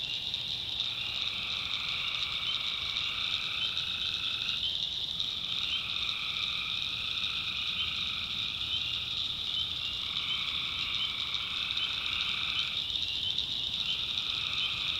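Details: Tree frogs in a North Carolina backwoods swamp after dark, many callers merging into a constant high shrill drone, while a deeper calling layer alternates in blocks of several seconds.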